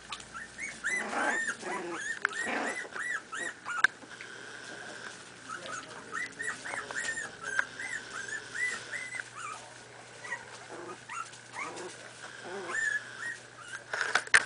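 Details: Miniature Pinscher puppies, 4.5 weeks old, playing together: a run of high whining whimpers and short rising yips comes in bursts, with quieter squeaks between them over a steady electrical tone and low hum.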